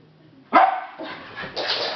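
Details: A Jack Russell Terrier watching the postman leave the road gives a sharp, high bark followed by rougher, noisy vocal bursts.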